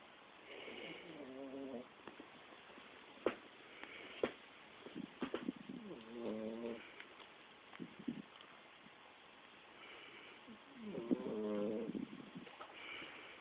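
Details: Five-month-old Shih Tzu puppy asleep, snoring: rough breathy bursts alternate with longer whistling, harmonic inhalations, three main snores spread across the stretch with quiet pauses between.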